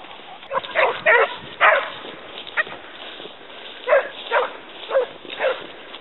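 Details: Pack of Basset Hounds from the Côtes de la Saunade on a hare, voicing short harsh bays in irregular clusters, several dogs overlapping, with a steady background hiss.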